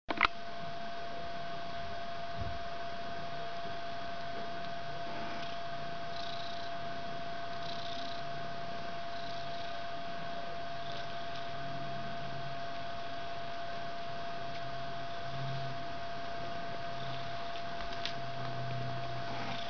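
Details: Purring from a fluffy white three-week-old kitten and its mother Ellis indoors in a bedroom while the kitten hugs or climbs on her head; steady low rumble throughout, with a constant faint tonal hum and occasional soft rustles.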